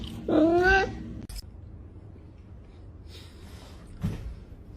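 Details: Pet cat giving a single short, rising meow indoors, followed by quiet room sounds and a soft thump.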